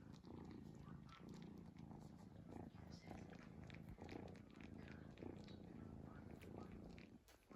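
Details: Domestic cat asleep and snoring, giving a continuous low purring rumble that swells gently with each breath, a soft dip near the end.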